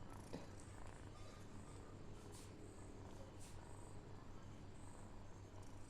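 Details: Pet cat, playfully addressed as 'cat sir' and being questioned about biting kittens, purrs in a soft, steady low rumble that throbs evenly for the whole six seconds, with faint hiss of room noise.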